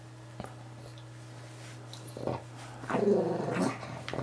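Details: Moo Man, a pet Pug, wrestles a new guinea pig toy from Ikea indoors. After a few faint snuffles comes a rising, throaty growl lasting almost a second, over a constant low hum in a small room.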